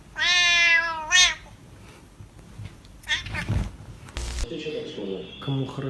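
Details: A domestic cat meows twice in quick succession, a long harmonic call followed by a shorter one, then background rustling, a voice and music fill the remainder.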